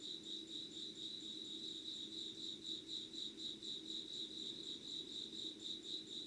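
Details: Insects calling at 05:00 on an August 2019 morning, recorded without edits. A shrill, rapidly pulsing trill repeats about four beats a second at a steady high pitch over a soft low hum.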